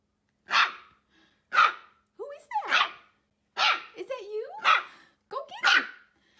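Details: Dachshund puppies at play, sharp high barks coming about once a second in six bursts, mixed with short rising whiny yelps between them.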